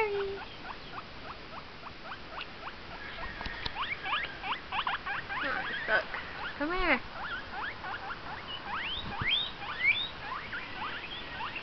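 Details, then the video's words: Domestic guinea pig squealing at home: dense repeated shrill squeaks in rapid succession, with a short low human voice and some handling noise partway through, then a string of sharper rising whistles. "my guinea pig making noise"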